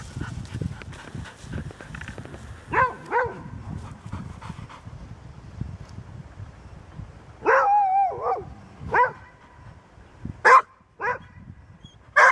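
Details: Golden Retriever, a rarely barking dog, making a mix of short barks and a drawn-out whining, howling note, with background noise and scattered knocks.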